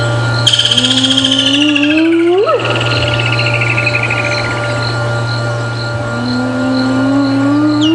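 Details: A spotted hyena, vocalizing quite close during an evening safari drive at Djuma Game Reserve on 10 January 2016, gives long, mournful whoops sliding upward in pitch, likely an adult calling to establish contact.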